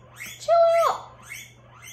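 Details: A pet guinea pig indoors calling loudly while its owner talks; one sustained, level whistled squeal of about half a second that breaks off sharply, with speech-like murmurs around it and a low steady hum.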